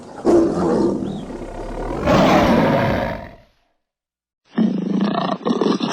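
A tiger gives deep, rasping roars in heavy, rumbling bursts.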